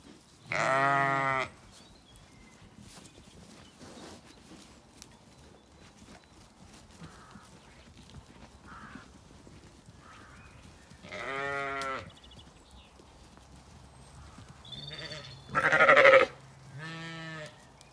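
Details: Zwartbles ewes in a sunny Kilkenny orchard, Ireland, calling as feeding time nears: three or four loud, strained bleats spaced several seconds apart over quiet background, faint bird chirps and rustling between.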